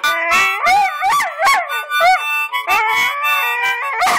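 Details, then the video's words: Pet dog howling along to a harmonica, drawn-out wavering howls rising and falling in pitch, broken into short phrases, mixed with sustained harmonica notes throughout. "Dog sings to harmonica"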